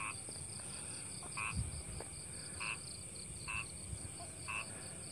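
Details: A frog gives short, nasal croaks about once a second over a steady high insect hum, heard in a rice-field area beside a double-track railway in a village near the planned Jogja–YIA toll road, Indonesia.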